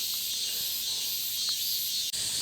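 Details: Cicadas on a mountainside in Korea, heard more and louder further up: a dense, steady high hiss-like drone without pause.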